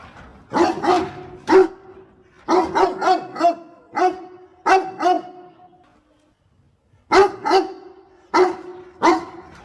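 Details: Domestic dog helping its owner pick water spinach, barking in short bursts of two to four sharp barks separated by brief pauses, each bark broadband with a strong tonal core, a near-silent gap around six seconds.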